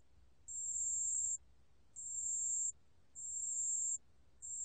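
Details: High, pure ringing notes of a pale bell cricket, 2020 National Institute of Biological Resources recording; each tone sustained close to a second, separated by half-second gaps, with faint rustling low background.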